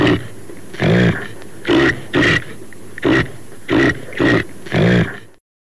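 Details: Caribou of North America giving a series of six hoarse, grunting calls, each under half a second, spaced roughly every second, over a faint steady hiss.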